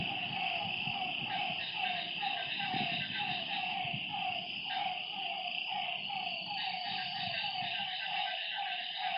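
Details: Frogs at a lakeside at night call in a fast regular series of brief mid-pitched notes, while insects keep up a continuous high trill and a low thud sounds near the middle.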